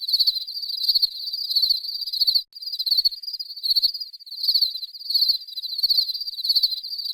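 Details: Cricket chirping: shrill, high pulsed trills in steady repeated trains with short gaps, a second faint overlapping layer of chirps, no other sounds.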